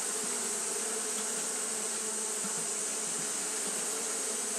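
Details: Brief, unbroken wing-hum of Japanese honey bees fanning through a hot day, a thick low buzz of many insects together beneath a level, sustained high-pitched hiss.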